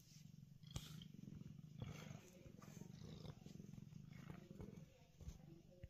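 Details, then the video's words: Happy house cat stretched out on a basement's concrete floor, purring in a low steady rumble, interrupted by several short sharp clicks and knocks. "A Very Happy Cat"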